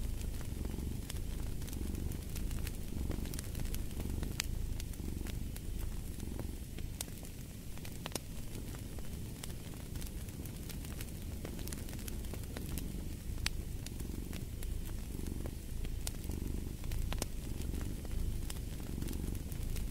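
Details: A cat's low purr runs beneath a crackling fireplace, its rhythmic rumble pulsing gently with each breath while frequent snaps and pops from the fire stay prominent.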